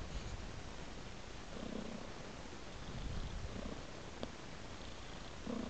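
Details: Pet cat lying asleep on the floor, its soft, even low-pitched purring running throughout against a steady background hiss, with a faint tick partway through.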